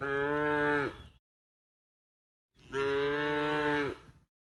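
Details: 14 A tame cow being herded toward the pen gives two drawn-out moos, each about a second long, low and rich in harmonics, level in pitch before fading, separated by a pause of over a second.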